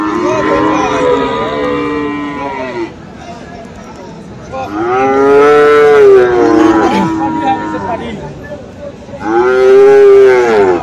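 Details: Friesian and crossbred cattle, including bull calves, at Aftabganj cattle market in Dinajpur, Bangladesh, on 21 February: three long, drawn-out moos with rich harmonics. Each swells then fades, separated by brief gaps of market hubbub.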